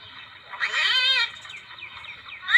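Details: Civet call used as a hunting lure: a loud, harsh, mewing cry with stacked harmonics lasting about half a second, then softer chirping notes and a sharp rising squeal at the end, over a constant insect hum.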